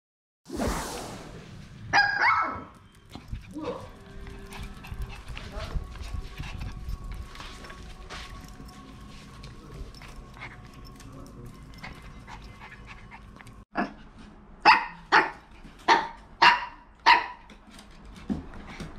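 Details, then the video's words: Maltese dogs at home, a daughter dog jealous of her mother dog; after muffled speech and household noise, a run of six sharp barks repeated about every half second near the end. "엄마 강아지에게 질투하는 딸 말티즈"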